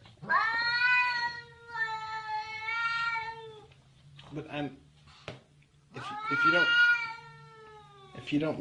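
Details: Angry domestic cat yowling indoors: three long, drawn-out wails, each over a second, sliding gently downward in pitch, separated by short pauses with faint human voices and clatter between them.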